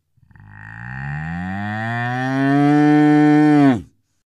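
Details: A cow gives one long, steady moo of about three seconds, deep and rich in overtones, swelling louder and slightly higher toward the end before stopping abruptly.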